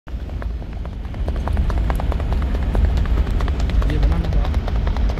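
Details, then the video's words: Horse moving in the rewal chal gait, its hoofbeats making a quick run of sharp, uneven thuds and clicks over a heavy low rumble of wind or traffic. "आप सिर्फ इसके पैरो की आवाज सुन || Horse Rewal Chal"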